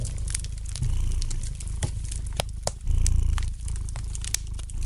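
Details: Soft domestic cat purr by the fire, a low buzzing rumble that swells and dips roughly every second or two, punctuated by crisp pops and crackles of burning wood.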